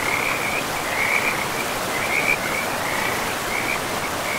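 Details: Frogs by a river deep in a pristine, moss-covered forest give high, trilled calls in uneven bursts roughly once a second, some brighter and louder, layered over a continuous wash of river noise.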